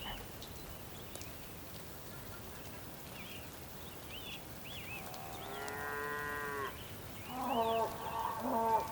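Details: Bulls calling on the Patagonian plain of Tierra del Fuego, Argentina, on a rainy day: two drawn-out harmonic moos, the first near the middle, a lower one near the end, over steady rain hiss, with small chirping calls earlier.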